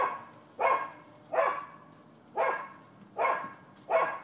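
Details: Neighbors' dogs barking at a rental property in Florida on 7 December 2015, noted as nuisance behavior: five loud, harsh barks come at uneven gaps of roughly a second, with quiet background between them.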